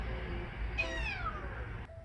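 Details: Domestic cat named Odeuri, hoarse-voiced after tooth extraction surgery, gives one drawn-out meow that rises briefly then slides downward over about a second, harmonics stacked above, with faint room noise around it.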